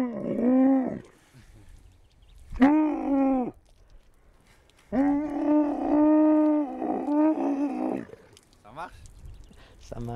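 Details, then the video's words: Camel producing a series of nasal, harmonic groans: a short one, a wavering one, then a long sustained bellow of three seconds that breaks into pulses, with softer grunts after. "Camel talk"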